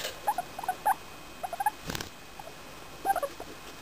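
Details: A four-year-old English Crested guinea pig named Femi makes happy noises while petted: rapid little squeak bursts at the start, a brief rustle midway, then another short cluster of chirps at the end over low hiss.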